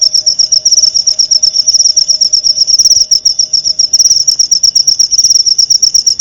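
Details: Clear cricket song used as masteran filler for white-rumped shamas: bright, high, rapidly pulsed chirps repeated without pause, brief louder bursts midway, a quiet hum beneath for the first part.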